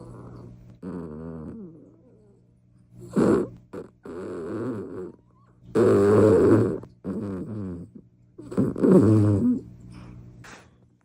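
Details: A sleeping 17-year-old Toy Poodle snoring with a quirky rhythm: rough, buzzy, wheezing breaths in irregular bursts about every two to three seconds, some with a whistling edge, over a steady low hum.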